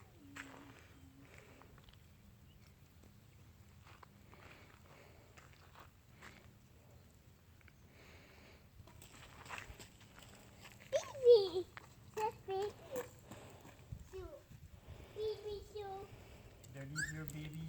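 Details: Four-and-a-half-week-old puppies on a field trip to new noises and surfaces such as gravel. Quiet shuffling gives way to a burst of short, bending, high whines and squeaks, with footsteps and soft human murmurs around them.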